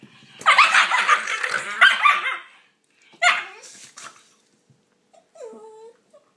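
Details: Shiba Inu puppies squabbling over a toy while playing indoors: a long harsh growling bark, a sharp yelp near three seconds, then quiet pause and a soft high whimper at the end.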